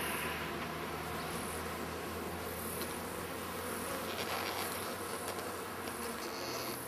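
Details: Bees from a hive filling a hollow tree stump beside a path, building comb out of the open stump end and easily stirred up before removal. A dense, steady buzzing fills the air, with low humming bands underneath and faint rustling throughout.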